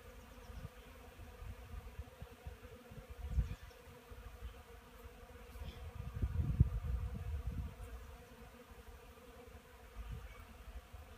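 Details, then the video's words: Honey bees working a wooden hive on a fine March morning, 9 a.m. and 12 degrees outside; a steady low hum with louder surging rumbles around the middle and brief thumps. "Pszczoły 10.03.2015r. Na pyłku"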